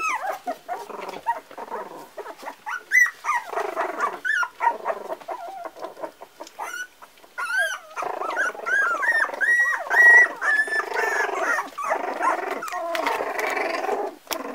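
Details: Parson Russell Terrier pups, four weeks old, giving uneven bursts of thin whines and squeaks, some long wavering notes, with brief quieter gaps between busier spells of yelping.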